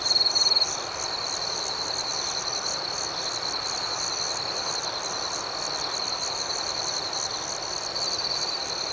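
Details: Crickets chirping at night: a steady high-pitched trill runs throughout, with a second, higher layer of rapid pulsed chirps over a constant soft hiss of background noise.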